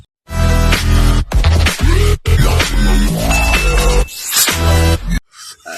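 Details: Loud electronic dance music with heavy bass and pounding beats, briefly cutting out between sections, with no animal voice heard.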